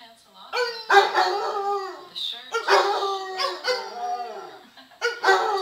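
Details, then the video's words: Bolo the hound, a pet being taught to howl by its owner, gives drawn-out wavering howls that slide downward and swell again, broken by short harsh bursts, in several rounds over a few seconds indoors. "Bolo and the howl"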